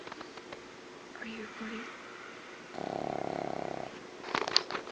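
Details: Pug snoring indoors, one buzzy, rattling, finely pulsed snore lasting about a second in the middle, preceded by soft voice-like tones and followed by sharp clicking rustles.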